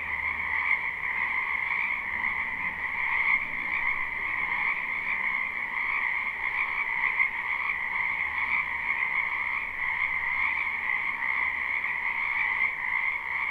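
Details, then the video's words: Frogs massed in a wetland in spring, croaking together in a live recording; a seamless buzzing chorus of two stacked tones holds steady throughout, with a soft low hum in the first seconds. "Ambient Noise for Sleep Frogs"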